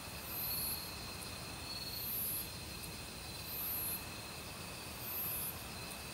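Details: Autumn crickets calling with various other insects in a forest, steady high-pitched trills plus four shrill buzzing bursts spaced about one and a half seconds apart, over constant valley stream noise.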